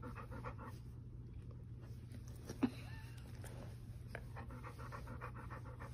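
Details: A pampered young dog pants while insisting on petting and attention. Soft, rapid breathy puffs come in bursts with short pauses, and one brief knock sounds midway. A steady low hum runs underneath.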